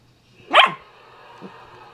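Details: Single sharp bark from a 12-week-old German Shepherd Husky mix puppy playing with her first porkhide roll indoors, one loud broadband yelp followed by a faint second note and quiet room hum.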